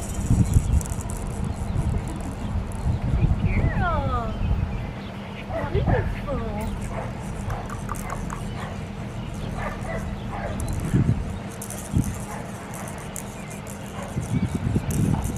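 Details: Blue merle female Australian Shepherd puppy, seven and a half weeks old, at a breeder's farm in Oklahoma, gives several high, falling, whining yips in quick bursts, while people talk and a steady low rumble runs underneath.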